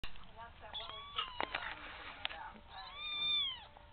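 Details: Young female kitten begging for food she wants to eat, after ice cream, with a squeaky little mew: two drawn-out arched mews, rising then falling, separated by clattering knocks and faint voices.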